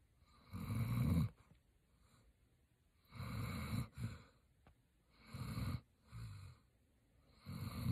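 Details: Roxy, a German Shepherd, sleeping and snoring: loud, deep, rattling snores about a second long, coming every two seconds or so, with softer breaths between them.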